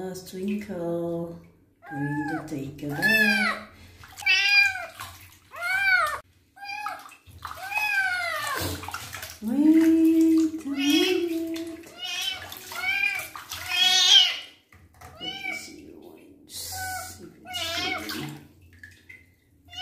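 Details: Twinkle the kitten meows many times during his first bath while his wounds are cleaned. The short, arching cries come in rapid bursts, with one long, shrill wail near the end. A person talks soothingly over low running water.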